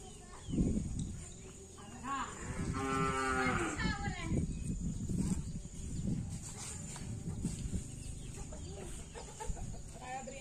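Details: Cattle from Madura bull racing (karapan sapi), a traditional race of Madura island, East Java, Indonesia, during Ramadan: a drawn-out harmonic moo swells and fades midway, with a few shorter low calls, a steady high hiss, background chatter and clucking.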